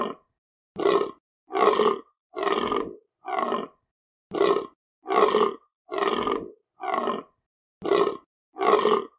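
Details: A deer calls in harsh, rasping grunts, short throaty bursts delivered about once a second with short pauses between. The background is silent.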